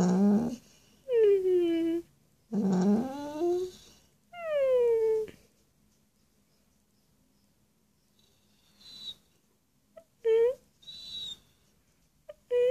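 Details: Charlie, a pet dog, 'talks' while chatting with his owner: drawn-out, whiny, howl-like vocal phrases that slide downward, two long ones and a third, then shorter yelps after a quiet pause, indoors.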